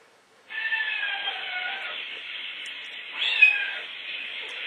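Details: Oscar, a pet cat, reacting to recorded meowing played indoors: a long drawn-out meow sliding downward, then a second brighter meow rising and falling near the end, over a steady hiss.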